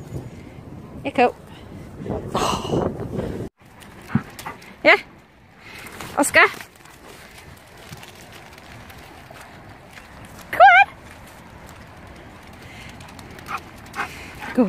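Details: Puppies Oskar and Cooper, filmed in 2017, give short high yelping whines with bright, wavering tones, scattered singly about every few seconds with one sharp wobbling cry near the end, between soft human talk and faint handling noises.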